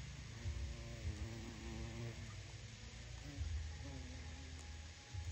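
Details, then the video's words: Carpenter bee inside its burrow, a low droning buzz with harmonic bands that rises and falls in two bursts, steady low rumble beneath. "Carpenter Bee in Burrow"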